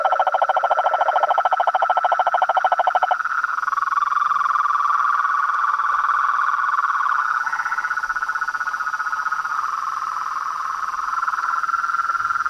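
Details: Frogs and toads in a dense chorus: a rapid pulsed rattle near the start gives way after three seconds to a steady, overlapping trilling drone, with higher buzzy voices layered above.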